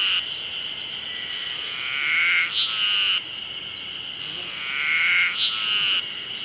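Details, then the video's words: Terpnosia nigricosta cicada singing at the start of summer: a steady, shrill buzzing drone that swells and fades in repeated phrases about every three seconds, each ending in brief higher accented notes. "エゾハルゼミの鳴き声 Terpnosia nigricosta"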